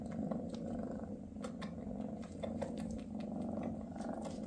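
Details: {'caption': 'Low, even purring from a Maine Coon as Mama Freya spends time with her kittens before they leave home. Unbroken rumble with gentle swells and scattered faint clicks of movement.'}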